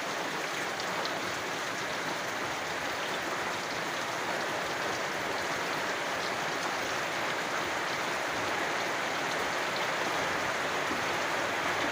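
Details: Steady rain patters densely over constant low rumbling and hiss, with no clear animal calls standing out.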